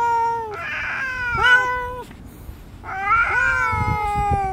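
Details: Female white-and-tabby cat, friendly, lying on a lap while being petted, threatening a rival orange tabby: two long, drawn-out wavering yowls, each nearly two seconds, separated by a short pause, with faint rustling beneath.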